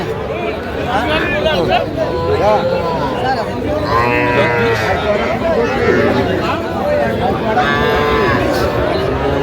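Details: Small calves at a cattle market in Jamalpur, Bangladesh, on 25 October 2025: a few hoarse, bending moos in the second half, mixed with bargaining voices and general market hubbub.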